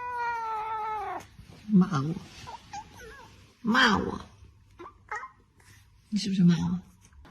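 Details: Domestic cat in a funny pet compilation giving a drawn-out harmonic meow that falls away, followed by short rough vocal bursts, thumps and brief human voices in a small room.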